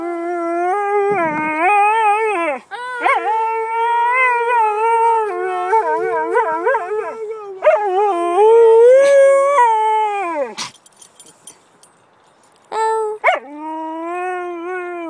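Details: Delta, a pet Siberian Husky known for singing, howls in long, wavering tones that warble up and down in pitch. Short yips and breaks split the phrases, followed by a brief pause and then a resumed falling howl.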